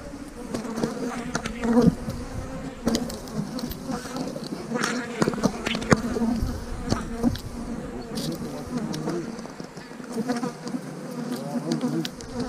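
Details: Buzz of a honey bee colony during hive splitting, queen cells placed in the splits, 3/2020; a continuous low droning hum with stacked overtones, broken by frequent clicks and taps of frames and equipment.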